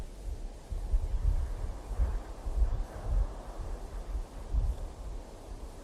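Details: Low rumbling wind buffets the microphone outdoors, with rustling and no animal voices.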